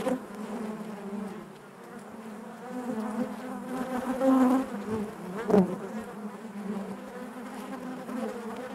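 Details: Honey bee colony humming within the hive, a steady low buzz rich in harmonics, rising to a louder swell midway and a sudden sharp tap near the end.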